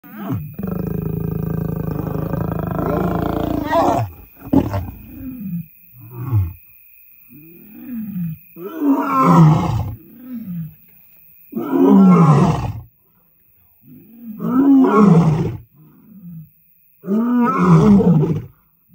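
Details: Two wild, full-grown African lions in a mating ritual, heard at night from about a mile away in a remote part of the Serengeti, Tanzania: after a broad rumbling opening, a series of deep grunting roars, about every two seconds.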